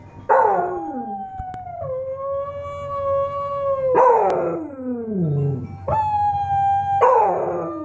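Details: A beagle howls in long, wavering tones broken by harsh, falling bursts while watching videos of other beagles howling.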